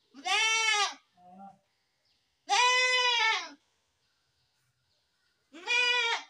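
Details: Goat bleating three times, each a loud, wavering, nasal bleat under a second long, separated by quiet pauses, with a short softer sound after the first bleat.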